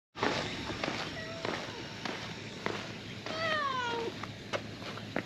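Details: Stray cat found under a truck, speaking to a person who approaches it: a few short soft chirps, then one long clear meow that slides downward. Sharp clicks of footsteps or handling are heard throughout, over a low steady hum.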